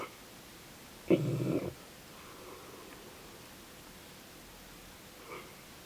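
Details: Dogue de Bordeaux (French Mastiff) asleep, giving one rough, rumbling snore lasting about half a second, followed by soft breathing in a quiet room.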